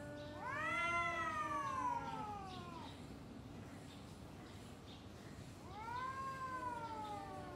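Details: Two domestic cats trade long, wavering yowls, each rising then sagging, in an extended exchange before fighting.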